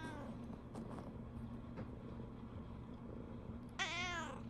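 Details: Brown tabby house cat Riri, indoors in the morning, seeming to complain to her owner that the Shiba Inu Riko has gone out on a walk; a single loud harmonic meow bursts out near the end after quiet room noise and soft human voice.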